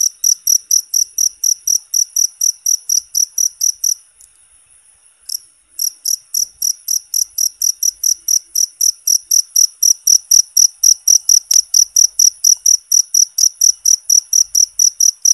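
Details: A loud, high cricket chirp, recorded naturally for training and soothing songbirds, pulses rapidly and evenly. After about four seconds it breaks into a brief thin trill, then the steady pulsing resumes and continues to the end.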